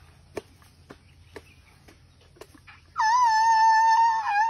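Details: Young Thai elephant Dummy grumbling: after a few soft knocks and taps, a loud, sustained, wavering squeal starts abruptly and holds steady for about a second and a half.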